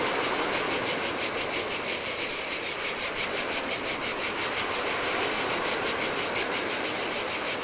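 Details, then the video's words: Cicadas sing in the heat on an empty Greek island beach facing the Adriatic: an intense, metallic buzzing that swells and dips rhythmically about three times per second, layered over soft waves washing the sand. "Cicadas by the Sea - Ocean Waves & Cicada Sounds"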